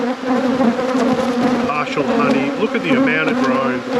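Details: Honey bees droning during a beekeeper's inspection of a productive apiary: a dense, steady buzz with layered low and mid tones, slight wavering pitch, and faint handling noises throughout.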